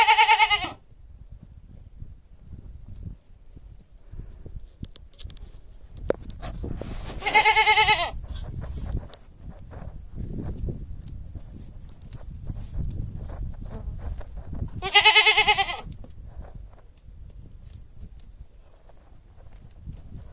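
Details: Domestic goat heard giving three quavering bleats spread over twenty seconds, about seven seconds apart, against a steady low rumble and background hiss.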